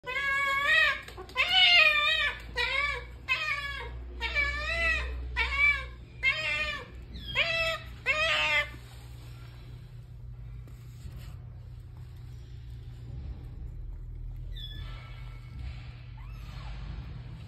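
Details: Domestic cat freaking out at the sight of meat, giving a rapid run of loud, wavering meows with rising-then-falling bends, about eight calls in nine seconds, then falling quiet against a low indoor hum.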